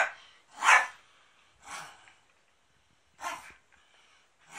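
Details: Maro-chan, a pet dog, indoors at the family home on 13 March 2019 during a big cleanup, the house serving as a drama filming location; three sharp, separate barks at irregular intervals in a small quiet room.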